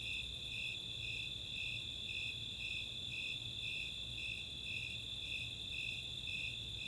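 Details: Nighttime summer chorus of Snowy and Four-spotted Tree Crickets, Chautauqua open space, Boulder, Colorado. Evenly paced high chirps, near two each second, ride on a constant ringing trill.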